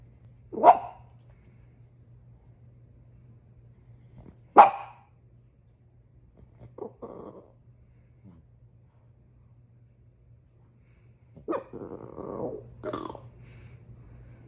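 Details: A female French Bulldog, upset about her toy, gives sharp, loud barks spaced a few seconds apart, with softer grumbling sounds between.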